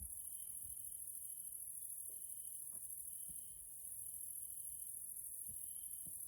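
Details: Grasshoppers, Caelifera, heard at evening in a nature area in Hungary, Central Europe: constant high-pitched shrilling overlaid by repeated buzzing trill segments with short gaps, and faint scattered ticks in the background.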